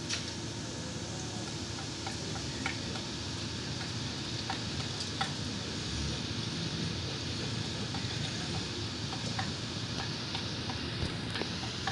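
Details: A steady sizzling hiss like a fan runs throughout, broken by scattered light ticks.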